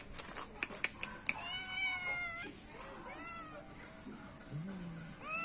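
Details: Domestic cat meowing: one clear drawn-out meow, bending slightly downward, then a fainter shorter meow. Earlier there are sharp clicks and taps, with steady background hiss throughout.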